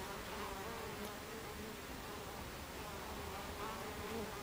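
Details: Busy entrance of a Buckfast honeybee hive, recorded 26 July 2013 in the afternoon: dense continuous buzzing from many bees, with brief brighter whines as individuals fly close, all over a constant noisy wash.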